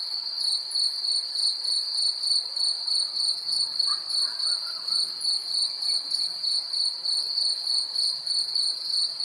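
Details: Nature recording in 3D of a cricket calling: an unbroken high trill beating in rhythmic pulses roughly three per second, overtone band shimmering above, a faint brief chirp of something else near the middle.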